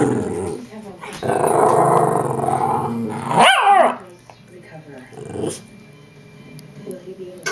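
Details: Pet Shih Tzu "talking" to her owner indoors: a long, grumbling, growl-like moan rising into a higher whine, then quieter mutters, with the owner speaking around it.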